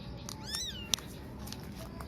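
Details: Abandoned newborn kitten among four found on a cloth in a cemetery at dusk; one brief arching meow, then a sharp click, over steady low hum.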